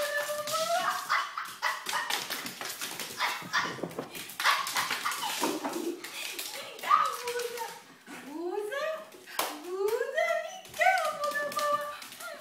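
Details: A poodle playing with its favourite plush toy gives high, sliding whines and whimpers while people talk nearby.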